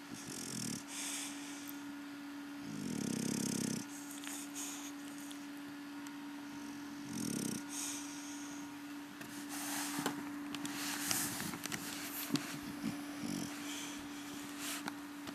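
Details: Sleeping English Bulldog named Rocky Balboa on his evening siesta, giving three low, raspy snores of uneven length, the longest about a second, followed by faint shuffling and clicking noises.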